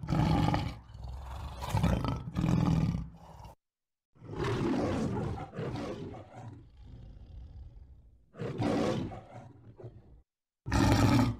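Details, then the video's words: {'caption': 'Lion roaring in separate grainy, deep bursts broken by abrupt silent gaps; a longer rumbling stretch in the middle and a final loud roar at the end.'} "How does a lion roar?"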